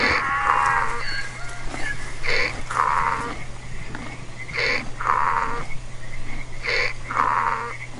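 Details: Domestic donkey braying in a repeated hee-haw pattern, a short high inhaled note followed by a longer harsh lower exhaled blast, the pair recurring about every two and a half seconds over a steady low hum.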